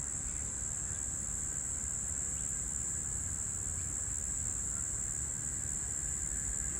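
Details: In March 2023, one or two male Brown Bunyip cicadas (Tamasa tristigma) call from a tree with a steady, high-pitched buzz that holds without a break, heard as the Floury Baker cicadas were dying off.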